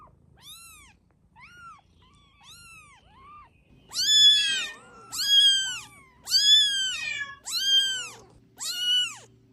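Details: Kittens meowing: soft, high, short meows at first, then five louder, longer, arching meows about one second apart, bright and piercing, over a quiet background.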